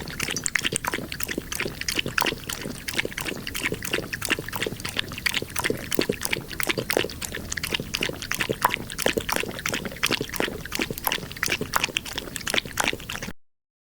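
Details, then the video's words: Little kitten happily drinking milk on the street, quick wet lapping clicks repeating several times a second without pause for about thirteen seconds, then silence. "Kitten drink sound effect, cute happy little cat drink milk on the street"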